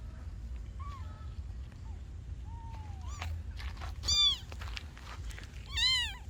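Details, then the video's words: Kittens meowing: faint thin mews and a long falling cry early on, then two louder harmonic-rich mews near four and six seconds, amid clicks and a low rumbling background. "Kittens meowing - sound to attract the cat!"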